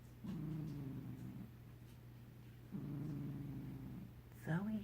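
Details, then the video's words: Sleeping cat purr snoring: two long, low buzzy rumbles separated by a quiet pause, then a short rising squeaky note at the end, over a steady low hum. "Zoe purr snoring."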